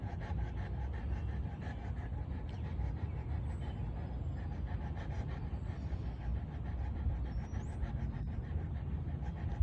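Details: Steady, rapid panting from Kirmit Olivia, a large female Boerboel; breathy low pulses run continuously throughout, over a low rumbling background hum.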